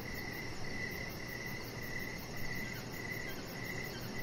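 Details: Crickets chirping outdoors in the evening beside a deck: short high chirps repeat about every half to two-thirds of a second at a steady pace over a constant low rumbling background.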